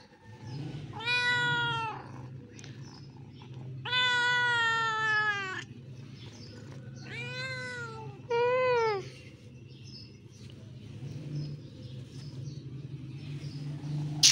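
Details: Domestic kittens, several meowing together: three loud drawn-out meows with rich harmonics, each about a second long and rising then falling, spaced by quieter gaps with faint high chirps and a steady low hum underneath.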